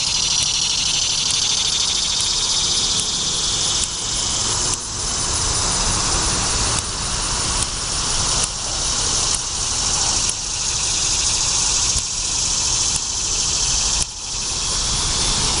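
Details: A chorus of annual cicadas at their late-summer peak fills the air with a steady, high, buzzing drone at Odessa Park, Delaware, on 26 September 2019.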